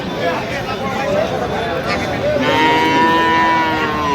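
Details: At the Aftabganj cattle market in Dinajpur on 12/11/25, among Friesian and crossbred bull calves, a loud sustained moo with rich harmonics starts halfway through and holds to the end, over background voices and crowd noise.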